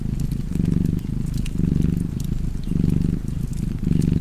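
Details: Low, buzzing cat purr near a fireplace, four or five swelling pulses in about four seconds, with faint crackling of the fire behind.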